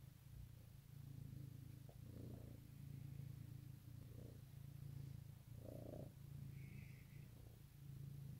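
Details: Domestic cat purring on Easter morning 2018, a dense low vibrating hum with softer, irregular swells and one clearer surge near six seconds; a faint brief higher tone near seven seconds.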